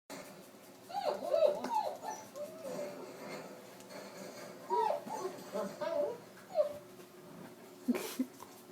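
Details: Domestic dog indoors, reacting to a litter of puppies, gives high, thin whimpering squeals in short bursts that rise and fall, with soft speech and laughter in a small room.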